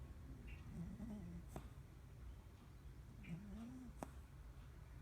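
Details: A Cavalier King Charles Spaniel named Preston snores, giving two breathy whistles that glide upward, about three seconds apart, with faint low rumbling underneath and a few soft clicks.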